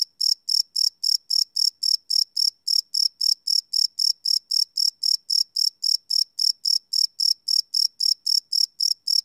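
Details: Steady high chirps of a cricket at night, recorded live on a Sony PCM D100 field recorder, repeating evenly close to four times per second throughout, with no other sounds.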